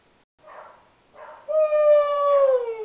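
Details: Miesha, a Siberian husky that rarely barks, howls: two soft muffled whimpers, then a long clear tonal howl that holds steady before sliding slightly downward at the end, rich in harmonics.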